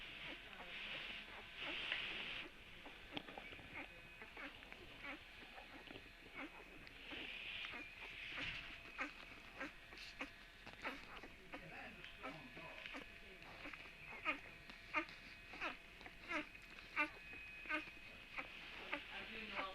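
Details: Puppy giving several high, thin, drawn-out whines and squeaks near the start, around the middle and at the end, over faint scuffling, tapping and a low background murmur.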